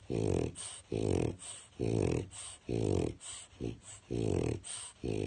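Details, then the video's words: Grummit, a French Bulldog, snores heavily while asleep in his crate on an afternoon nap; loud, gravelly, rattling breaths come about once per second, slightly uneven in spacing and length, with short pauses between each rough inhalation. "Snoring French Bulldog gets Woken from Nap"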